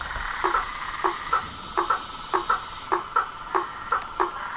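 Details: Frogs calling in the wild: sharp knocking notes repeat about every half second, each with a brief tonal ring, over a steady high background hiss.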